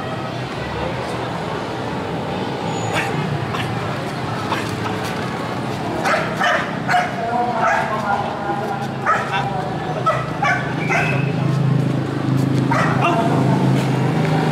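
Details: Belgian Malinois in attack, patrol and personal-protection training, with two young males, EMO at 15 months and Casan at 10 months. Sharp barks come in quick, uneven bursts through the second half, over a human voice and steady background noise.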